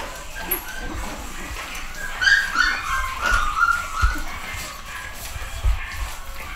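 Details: Nine-week-old home-bred pedigree Pug puppies, a litter of boys and girls, give high thin whimpers and squeaky cries between about two and four seconds, over low handling bumps and background rustle.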